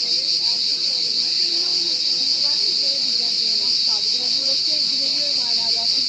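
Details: Cricket producing a constant piercing high trill, even and uninterrupted, over low murmured speech-like voices in the background.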